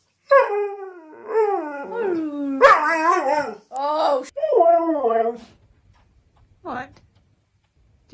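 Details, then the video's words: A dog 'talks' and argues with its owner at home, giving a run of drawn-out, wavering howls and moaning whines that bend up and down, then a brief yelp after a pause, with human speech close by. "Funny Dogs Talking and Arguing With Their Humans"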